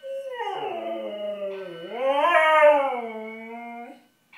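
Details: Pet Siberian husky howling in reaction to a fire alarm, one long wavering cry that dips, swells upward to a loud peak, then sinks and trails off into quiet.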